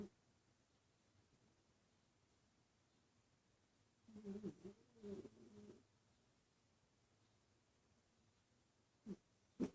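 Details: Asta, a female dog asleep at the office and dreaming, gives a cluster of soft, muffled, voiced snorts and whimpers in the middle, then quiet, with two brief snuffles at the end in a still indoor room.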